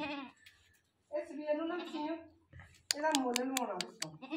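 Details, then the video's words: Newly bought domestic goat calling constantly: a short bleat, then two long wavering, quavering bleats, the last overlaid by sharp clicking knocks. "Aj hm ny ak new goat liya or oski awaz he band ni ho rahi thi yar"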